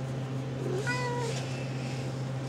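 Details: RagaMuffin kitten from a litter at 7½ weeks old, indoors. A clear, short meow rises slightly and then holds level for about half a second, over a constant low electrical hum. A woman talks just before and after.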